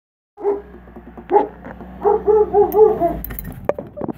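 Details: A German Shepherd, excited to see its owner come home, gives wavering howls in short rising-and-falling bursts.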